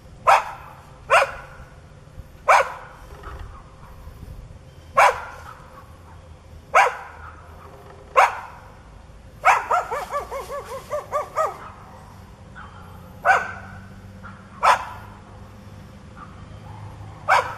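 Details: Neighbour's dog, foaming at the mouth and charging at a person, barks sharply every second or two, with a brief run of rapid growling barks in the middle, then single barks again; low hum beneath.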